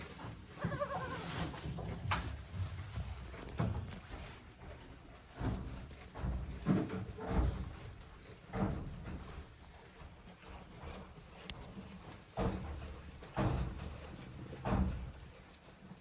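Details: One-day-old goat kids, offspring of Hikari, at Yoshigake goat farm on 17 April 2024; a short wavering bleat sounds near the start, followed by repeated soft thumps, hoof knocks and rustling straw indoors.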